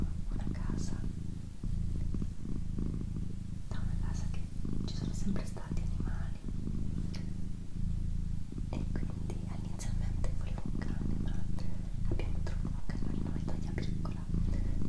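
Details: Domestic female cat purring at home, a long steady low-pitched rumble with regular breathing pulses every second or so, under hushed whispered talk.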